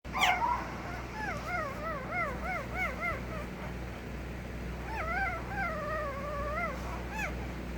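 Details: Puppy whimpering in a series of high, wavering whines that rise and fall, several in quick succession, then a pause and another run of longer wobbly whines near the end, with a steady low hum underneath.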